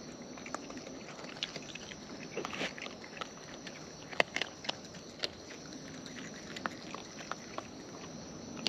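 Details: Wild raccoons feeding at close range, their eating marked by sharp, irregular clicks and crunchy bites scattered over a steady low hiss of outdoor background.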